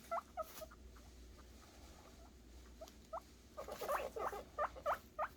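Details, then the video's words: Happy noises from guinea pig boars awaiting food: a few faint squeaks at first, then a loud run of rising whistled wheeks, roughly three a second, with rustling in the background. "guineapig boars making happy noises for food"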